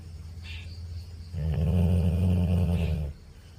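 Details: A snoring Labrador gives one loud, deep, vibrating snore lasting nearly two seconds, low and rattling, against a faint room background.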